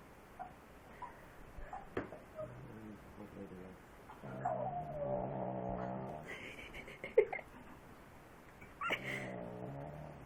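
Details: Pet dog snoring, with drawn-out, groaning breaths of about two seconds each, separated by quieter gaps and a sharp click, and a final long rumbling breath near the end.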